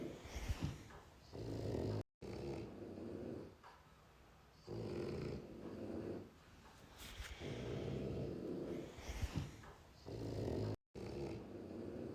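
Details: Sleeping puppy snoring in a small room, deep rasping breaths rising and falling in slow cycles of roughly three seconds, with soft quiet inhalations between the louder rumbles.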